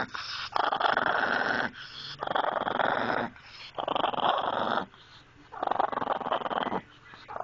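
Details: Maggie, a household dog, gives four long, harsh grumbling growls of about a second or more each, separated by short pauses, with a gritty texture throughout and no barks.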